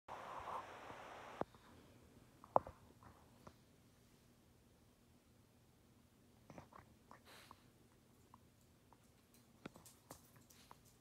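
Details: A rescue Weimaraner nooks his favourite pillow, making soft, irregular wet clicks and smacks as he suckles the fabric.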